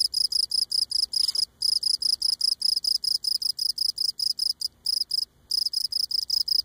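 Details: Cricket on Cape Cod singing at close range, legs rubbing against abdomen; steady train of sharp high chirps, evenly spaced several per second, interrupted by two short pauses.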